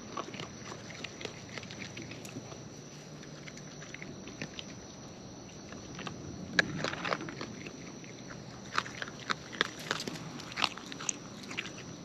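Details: Wild raccoons eating up close, chewing naturally: bursts of crisp, broadband clicks and crunches, sparse at first, then thickening into rapid clusters toward the end over a steady low outdoor hum.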